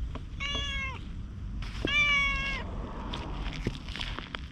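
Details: Stray orange tabby cat chattering in cat language as it follows someone walking away after a little petting; two drawn-out, slightly falling meows about a second apart, followed by faint clicks and rustling outdoors.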